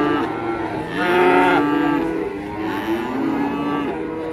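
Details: Indonesian farm cattle produce a short, full moo that swells in the middle and fades, then a fainter second low call, with a steady hum of background noise.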